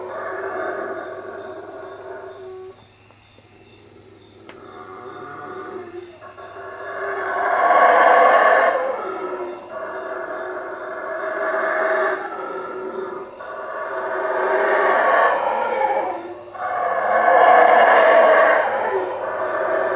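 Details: At night in treetops beside a hut on Lake Peten Itza, Guatemala, howler monkeys give repeated deep, raspy roaring howls in surging bouts every few seconds, rising and falling in loudness, with a steady low hum beneath.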